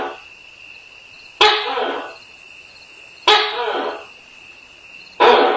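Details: A Tokay gecko calls at night with loud, abrupt barking calls about every two seconds over a steady insect hum.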